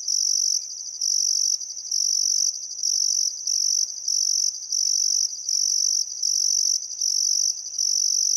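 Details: Crickets chirp by the Barcoo River in Welford National Park, Outback Queensland, on a still summer afternoon at sunset; the high, buzzing trill runs in evenly spaced bursts with short pauses, faint bird sounds behind.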